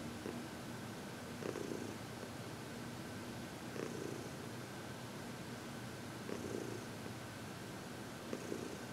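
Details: Elderly female cat Heidi, adopted at age 12 from the Humane Society of New York City, purring happily under massage and reiki on February 22, 2021; soft continuous rumble with four gentle swells spaced about two to two and a half seconds apart.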